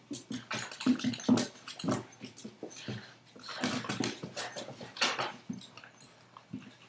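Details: Two dogs, a 5-month-old Boston terrier and a 2-year-old golden retriever, playing together indoors; rapid low growls, grunts and huffs in irregular bursts with scuffling.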